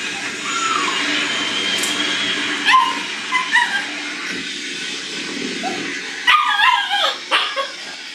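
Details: Shiba Inu puppies whimpering: thin, wavering whines that slide up and down, a few short squeaks, then a quick cluster of sharp high yips and whines near the end, over a steady background hiss.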